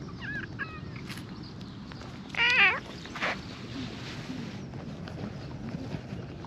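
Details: A stray cat, found sitting alone below a riverbank in Japan, being petted before climbing happily onto a lap; a couple of short high meows, then one louder drawn-out meow, over quiet outdoor background noise.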